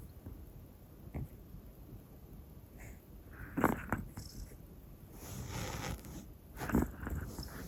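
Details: Snoring from Hana, a black female Pomeranian aged one, while asleep: two main rasping snorts about three seconds apart, with faint rustling and breathy noise between them indoors.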